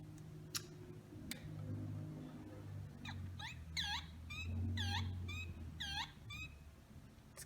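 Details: Male spring peepers, tree frogs heard in early spring often at night or early morning, give short, rising whistled peeps in quick series, calling to attract females.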